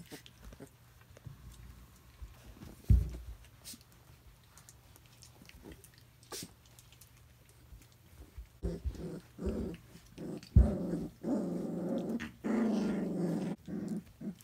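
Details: Three-week-old Briard puppies: after a quiet start broken by a few knocks, low, rough, rumbling growls set in from about the ninth second, coming in short bursts with brief gaps and getting louder toward the end.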